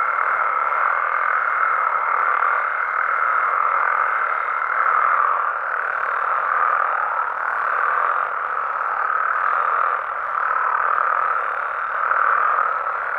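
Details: Frogs and toads calling at night in natural amphibian habitat in Mexico: a dense, continuous croaking chorus with gentle swells in loudness, plus a thin steady tone in the first five seconds.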